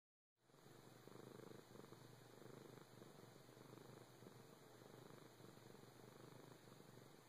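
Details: A four-year-old pet cat indoors, purring in a soft, steady, low rumble with a quick fluttering pulse that continues without a break after a short silent start.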